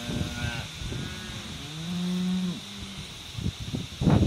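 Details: Cows and calves going out to summer pasture; a short higher moo opens, then a long, steady low moo swells and falls off near the middle, with thumping hoof and movement noises around it.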